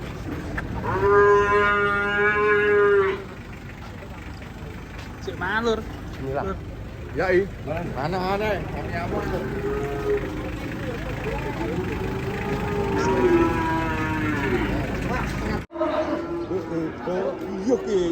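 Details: Cattle being unloaded from a truck give loud, drawn-out moos, including a long steady bellow near the start and several shorter wavering calls, mixed with excited human voices and chatter.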